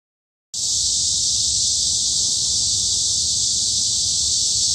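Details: Cicadas in a midsummer forest at Hanbat Arboretum, Daejeon, Korea: after a half-second of silence, a dense, steady high-pitched buzzing drone begins and holds unbroken at even loudness, with faint low rumble beneath.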